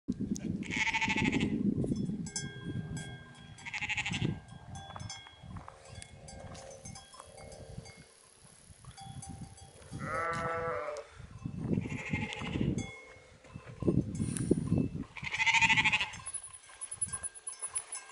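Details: Black-faced sheep in the Swiss Alps near Zermatt give a wavering, quavering bleat in mid-clip amid rustling, shuffling and scattered bell clinks, with other brief bleats around it.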